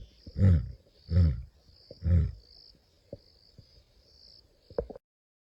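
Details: Male lion in Kruger on 11 April 2025: three deep, short grunting roars spaced under a second apart, quieter and fading, followed by soft clicks and a steady high insect buzz.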